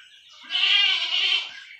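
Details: Young goat kid bleating while being injected with iron: a single high, strained, wavering bleat lasting about one second, rich in stacked harmonics, rising out of near silence and fading away.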